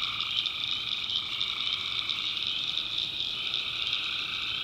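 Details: Night chorus of tree frogs in a swamp in the North Carolina backwoods, a thick steady wall of rapid trilling calls with a constant high-pitched insect-like hum layered on top and no gaps.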